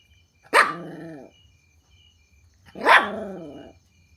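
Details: Puppy barking at strangers when hearing strange noises: two loud, drawn-out barks about two seconds apart, each starting sharply and trailing into a harmonic, slightly growly tail, with faint chirping insects and low hum behind.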